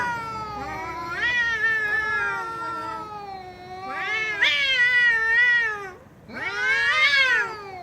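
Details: Pet cat giving long, yowling meows in three bursts, each bending and wobbling in pitch; the final call starts low and sweeps upward, with a short silent gap before it.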